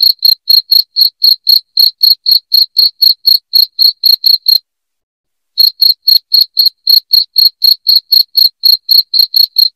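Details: A cricket chirps loudly and rhythmically, sharp high pulses roughly four each second, broken once by a silence of about a second before continuing.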